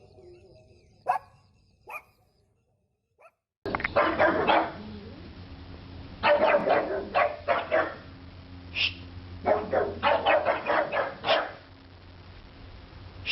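A pug gives bursts of odd, rough, yapping barks in quick uneven runs.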